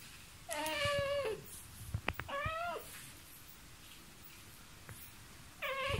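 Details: Vocal pet cat talking to a mosquito indoors: three drawn-out, wavering meows with falling ends, one near the start, a shorter one after two seconds, and another at the close, with faint clicks between.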